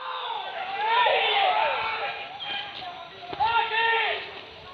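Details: Hunting dogs baying during a wild boar pest hunt at Tarok Sicincin, Padang Pariaman. Overlapping drawn-out, wavering howl-like barks rise and fall in a chorus that repeats twice, with a sharp knock between them.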